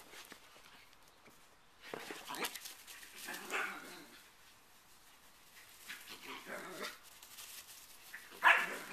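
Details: Italian Greyhounds chasing each other give sharp, scattered barks and yips with quiet gaps between bursts.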